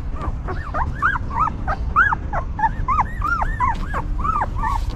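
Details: Newborn puppies with their caring stray mother; clear, curved whimpers and squeaks, some rising, some dipping, coming several times each second, with low background rumble.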